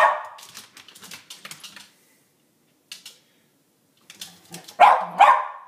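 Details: West Highland White Terrier in a yard, guarding the bird feeder from invading squirrels: a short bark at the start, then two loud, sharp barks in quick succession near the end, with scattered clicking and scratching noises between.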